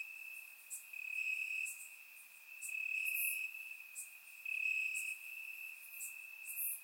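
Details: Warm summer night in Bulgaria, crickets chirping in the grass, recorded in surround sound: a persistent high trill pulsing louder in bursts about a second long, with sparse higher clicks.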